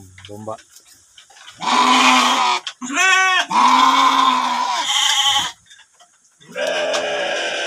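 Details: Sheep kept in a stable (domba jalu) bleat several times in close succession, long quavering nasal cries overlapping one another, followed by a man speaking.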